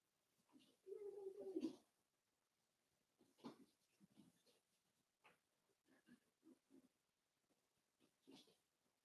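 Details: Four-week-old Cavalier King Charles Spaniel puppies from Daisy's litter in their indoor pen: one drawn-out, wavering whine of about a second near the start, then soft scattered squeaks and rustling in a quiet room.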